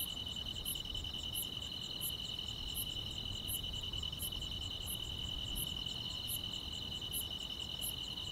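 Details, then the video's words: Summer-night chorus of grass insects in the countryside, a constant shrill trilling tone running without a break, with sharp high chirps pulsing roughly every third of a second and a faint low rumble beneath. "여름밤의 포근한 풀벌레 소리"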